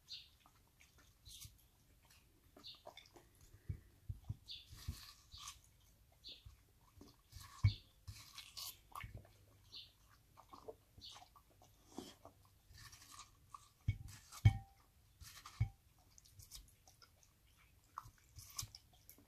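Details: Australian Cattle Dog, deaf in one ear, eating and crunching a slice of watermelon on a warm day. Soft, wet crunches and clicks come in irregular bursts, with quiet gaps between them.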